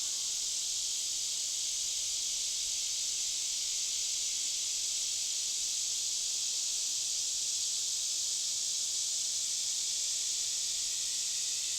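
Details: Cicadas deep within a forest, reached on a hike of a few miles, fill the air with a steady, unbroken, high-pitched hissing drone that holds at an even level throughout, with no other voices or noises standing out.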